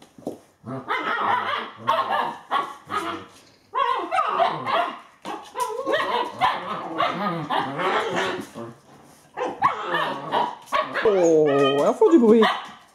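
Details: Alaskan Malamute puppies, eight weeks old, romp and play in poor weather. They give a busy stream of high yips and barks, ragged and overlapping, with squealing, wavering whines near the end.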